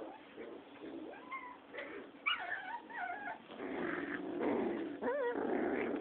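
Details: Six-week-old Rottweiler puppies play-fighting; high whines and yelps sweep up and down, then give way to rough, noisy growling and scuffling through the second half.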